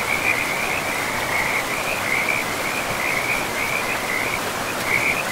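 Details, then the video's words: Frogs calling beside a forest river: a continuous high, rapid trilled chorus of pulsed notes pulsing in short bursts, layered over the constant hiss of flowing water. "River and Frogs sleep sounds"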